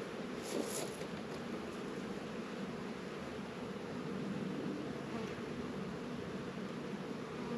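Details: Many honey bees working outside their hives in a northern Kentucky apiary on a mild February afternoon of 72 degrees; an unbroken, full droning hum, with a brief hiss early on.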